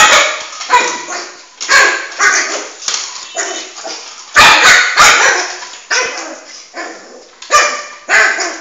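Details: Excited Shih Tzu puppy, about four months old, indoors chasing a ball; sharp high barks and yips repeated in quick irregular bursts, some loud clicks and knocks between them.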